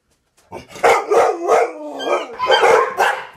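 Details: Excited dog going ballistic, a rapid string of loud barks with a brief yowling, wavering tone sliding between them, barks packed about every third of a second.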